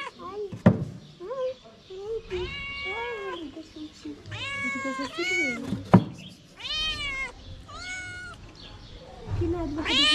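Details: A hungry homeless mother cat on a street in Morocco begs for food to feed her kittens. She meows insistently in quick succession, each cry a rising then falling wail, with a few sharp knocks and faint voices.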